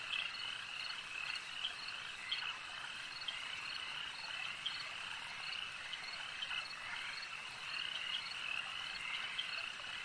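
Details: At a lake, a thick frog chorus hums on without pause, layered high trills and short chirps overlapping from many animals, with faint low background noise.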